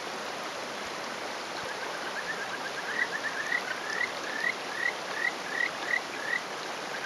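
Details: Male Kajika frog on a rock in rural Hofu, Yamaguchi, Japan, May morning; after three seconds of rushing stream noise, a series of about nine short rising whistled notes, evenly spaced, moderately loud over the water.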